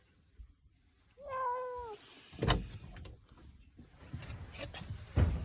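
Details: Cat angry at its owner: one short wavering meow under a second long, followed by low thumps and handling noises.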